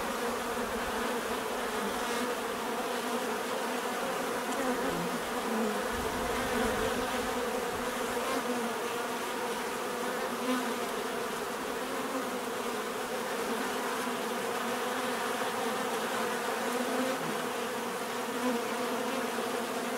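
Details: Droning chorus of numerous bees, a constant layered hum with occasional louder passes of single insects drifting nearer, otherwise steady and uniform.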